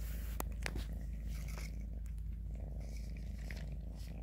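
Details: Continuous deep purring from a kitten as Grayie eats and Shoey licks him, the low throb overlaid with brief wet licking and chewing clicks.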